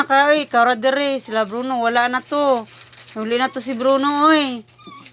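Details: Drawn-out, wavering wails from a crying dog, loud and tonal with rich overtones, in several long phrases separated by brief breaths, over a low steady hum.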